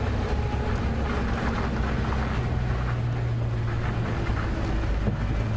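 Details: A steady low engine rumble dominates, mixed with wind and broadband hiss that may be rain. No animal calls stand out.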